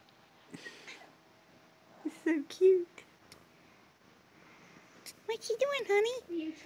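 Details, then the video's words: Domestic cat meowing in short bursts, a pair of brief mews early on and a longer wavering meow near the end, with speech heard in the background. "Love Those Cute Cat Sounds"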